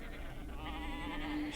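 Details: Domestic sheep bleating, a wavering, quavering bleat with a shaky, vibrato-like tone that holds steady and grows slightly louder toward the end, with a brief hiss at the close.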